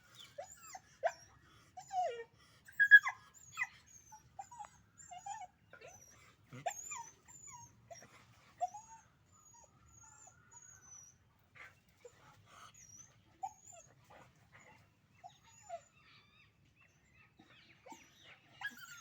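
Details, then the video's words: Puppies fighting in a natural scene, with scattered sharp yelps and short whining squeals, some clustered and some isolated, separated by quiet gaps. "puppy dog fighting original sound natural scene"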